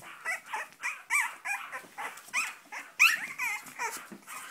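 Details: Cavalier King Charles Spaniel giving a rapid series of short, high, squeaky yelps and whines, about one every two seconds, with overlapping cries that suggest more than one dog.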